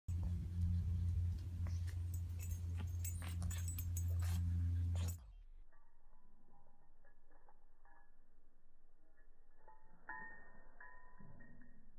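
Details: A loud low hum with clattering gives way to quieter muffled rustling and faint voices.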